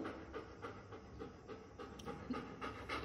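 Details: Male German Shepherd doing a shake-hand trick on command, praised as a good boy, pants in quick, soft, breathy bursts, roughly three to four per second, over a faint low background hum.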